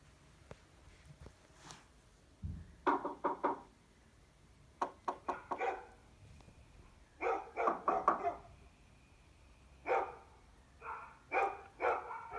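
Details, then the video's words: Shiba Inu puppy reacting to weird noises, giving short clusters of sharp barks in bursts separated by quiet gaps, each burst a quick run of three to five yaps, with faint thumps early on. "My Shiba Inu Puppy Reacts To Weird Noises!"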